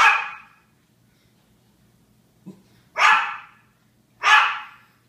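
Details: Barking Japanese Chins give three loud, harsh, noisy barks, the first at the start and two close together later, with a soft low sound between and a quiet background hum.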